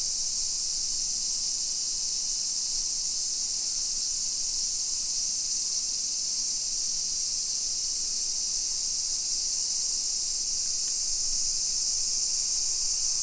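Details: Midday summer cicada chorus in a hillside residential street of Nisshin near Nagoya, Japan, 1 PM, 28 July 2021; an unbroken, sizzling high drone that holds level throughout with nothing else standing out.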